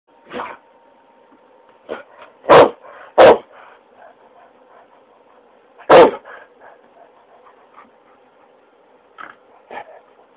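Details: Old half-Akita dog barking. Several deep, hoarse single barks come irregularly over ten seconds, with three loud sharp ones in the middle and softer, quieter woofs between them. A faint steady hum sits in the background.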